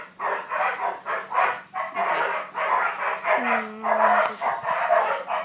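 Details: Puppy tugging on a toy, letting out short gruff growl-barks in quick irregular bursts, with a low steady hum and a faint rising whine partway through.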